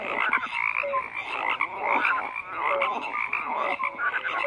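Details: Frog chorus of overlapping croaks, rattling pulses and short clear tonal notes mixed in a busy, unbroken mass of calls.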